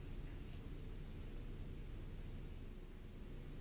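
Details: Constant broadband hiss and low rumble, like distant traffic, with a thin steady high tone and no animal voice.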